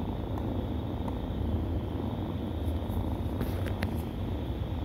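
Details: Short burst of deep continuous purring from suckling kittens, with a handful of sharp clicks and rustles toward the end.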